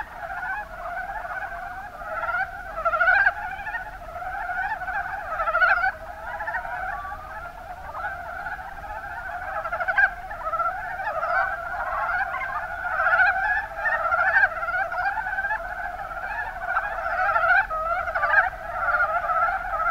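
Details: Mountain brown frogs, Rana ornativentris, calling in the Kuma basin of Kumamoto, Japan; a dense continuous chorus of many overlapping low chuckling croaks, with louder bursts every second or two over a steady murmur.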